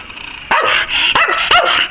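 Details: Pet Eskimo dog, an obedient dog performing a bark-on-command trick, giving three loud, sharp barks in quick succession while its owner cheers it on.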